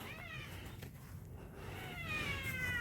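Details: Mother cat living on a hillside in Yangpyeong, South Korea, reacting after a dog took its snack: two drawn-out, falling meows, one at the start and one at the end, with soft background music and a person speaking quietly.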